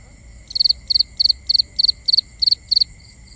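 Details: Night cricket chorus in binaural ambience, a close cricket giving eight evenly spaced high chirps, each a quick cluster of three or four pulses, roughly three chirps per second, with softer background insect drone.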